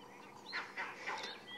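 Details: At sunrise in Sabi Sand, South Africa (2 April 2016), monkeys give a few harsh, honking alarm barks, short rasping bursts about a quarter second apart, warning that a predator is close by.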